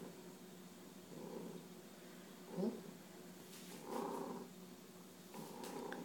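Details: Domestic cat bunting its owner, giving a soft, low purr in separate swells, with faint rustling and a short scratchy noise between purr bursts.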